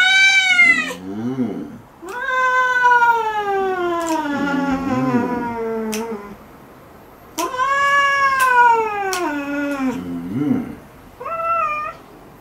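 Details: Domestic cat protesting a claw trim indoors with loud, extended meows, some starting high and falling slowly, others rising then dropping, in a rapid insistent series with brief gaps.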